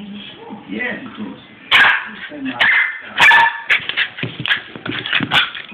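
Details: A 6-month-old Cairn Terrier x Westie, going a little mad, lets out sharp, excited barks and yips, with people talking nearby.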